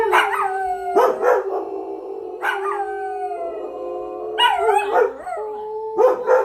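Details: Pet dogs singing and howling in chorus: drawn-out tonal howls with sliding, wavering pitch, punctuated by short barks about every second and overlapping voices.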